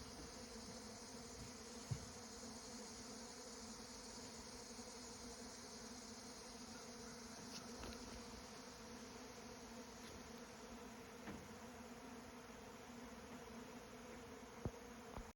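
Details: Bee swarm humming in a continuous low drone, with a few faint clicks and knocks standing out briefly in the background.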